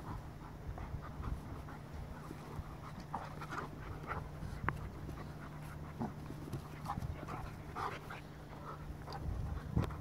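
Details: Farfel the Goldendoodle and Utley the Bernese Mountain Dog, cousins, playing together; irregular breathy bursts and soft scuffling sounds scattered throughout, over a steady low hum in the background.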